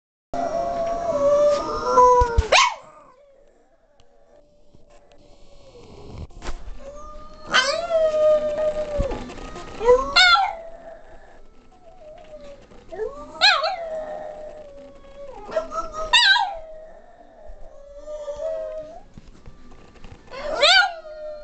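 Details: Female Boston Terrier kept as a pet, singing in a duet with a person; long wavering howls rising and falling, several drawn-out phrases with sharp yelping peaks between quieter sustained tones.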